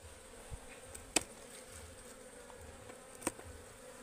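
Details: Forest hive of wild honeybees disturbed during harvesting, giving an even, low buzzing hum broken by two sharp clicks.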